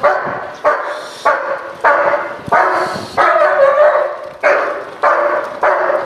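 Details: Dog in protection training barking forcefully in a steady series, nine loud harsh barks in about six seconds with brief gaps, each bark rich and mid-pitched with a slight downward tail.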